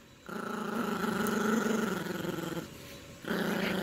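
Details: A female Yorkshire Terrier puppy, playing tug with a teddy-bear toy, gives a sustained, rumbling play growl, pauses briefly, then growls again.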